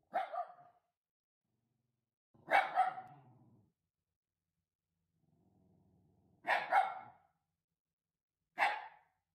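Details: Shiba Inu named Maruko, a home watchdog filmed at night indoors, woken from sleep and turned guard dog; four sharp broadband barks, some doubled, spaced irregularly over nine seconds, with a low growl between them, otherwise quiet.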